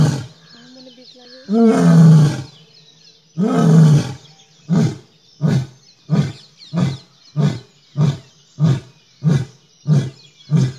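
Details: Asiatic lion roaring beside a road outside the forest in Gir National Park, India: two long, deep, drawn-out roars, then a series of shorter low grunting roars repeated about every half second, with faint insect buzz behind.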